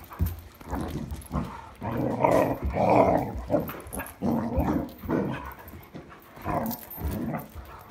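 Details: Irish Setter growling and grumbling while playing with a new toy at night, 26 July 2022: a steady string of throaty, mid-pitched vocal bursts, loudest in the middle, with brief pauses between groups.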